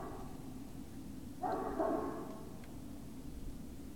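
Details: A single strained, harmonic yelp lasting about half a second breaks a steady low hum midway, from Great Dane puppies recorded at Puppy Hill on the evening of 19 February 2019.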